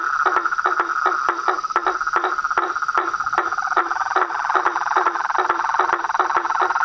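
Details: Frogs, toads and treefrogs in full chorus: regular hollow knocks repeated roughly every third of a second, blending with a softer rapid chatter and an unbroken high hum.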